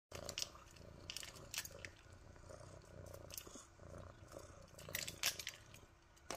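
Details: Orange tabby kitten purring while hyper and moving around a lot: a soft, faint rumbling purr broken by rustling and handling bumps throughout.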